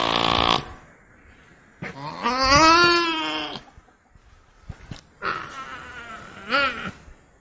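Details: Nutria calls: a harsh opening burst, then a long wavering harmonic moan and a shorter second call that bends upward at the end, separated by quiet stretches with faint clicks.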